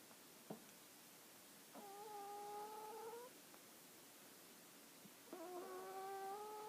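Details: Whistling snores from Hana the dog: two drawn-out, steady nasal tones, each over a second long and about three seconds apart, with light clicks in a quiet indoor space.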